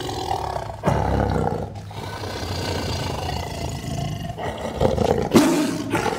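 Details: Sumatran tiger from Indonesia, in forest habitat; deep, rough growling roar with a low rumbling base, swelling near the start and again near the end, over steady broadband background noise.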